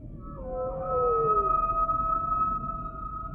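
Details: Humpback whale song sample: a descending tonal moan gives way to a long, steady high wail that holds for several seconds, with low rumbling noise beneath.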